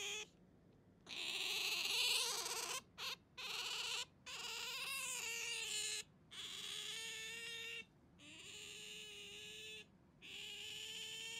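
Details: Pet otter clutching a hand and calling: loud drawn-out whines and squeals, some wavering and sliding, in bursts of one to two seconds with brief gaps between.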